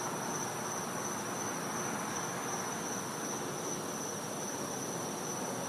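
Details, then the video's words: Cicada heard at night during winter behind a Florida house, its thin high whine sustained without pause over steady broadband night ambience. "Cicada Sounds"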